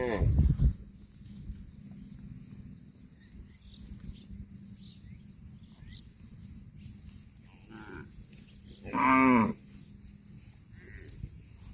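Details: Cattle eating grass: a short, low moo opens the recording, then a long quiet stretch with a steady low hum before a loud, full, harmonic-rich moo lasting about half a second near the end.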